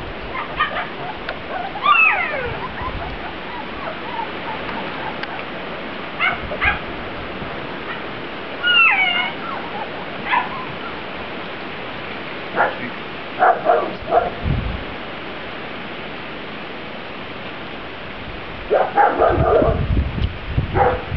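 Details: Grand Basset Griffon Vendéen pups from a B-litter taking their first trip outdoors, June 2009. Scattered squeaky whines and sharp yips come in small clusters separated by stretches of steady hiss-like background.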